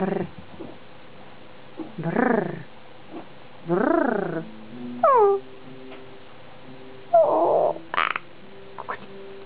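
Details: Six-week-old golddust biro Biewer Terrier puppy whimpers and yelps, with wavering whines, one sliding squeal and a few harsher squeaks in short bursts, separated by brief silences indoors.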